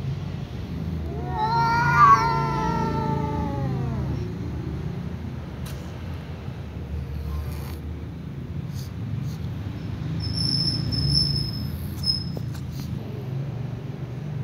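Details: Tom cat meowing at a ginger cat more slowly than usual: one long, drawn-out wavering meow of about three seconds, rising then sliding down, followed by quiet background hum and a few faint clicks.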